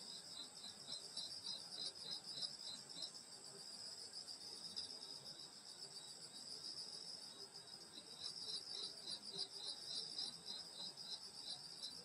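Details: Countryside summer night, grass insects singing around a grandmother's house: continuous shrill buzzing layers high in pitch, with a rapid pulsing trill at the start and faint low chirps underneath.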